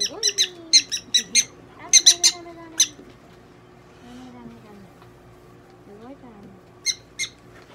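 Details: Prairie dog Donguri at a Nagoya veterinary clinic while being treated; quick volleys of shrill, clipped squeaks, about ten in three seconds, then a pause and two more, with a person's low voice murmuring throughout.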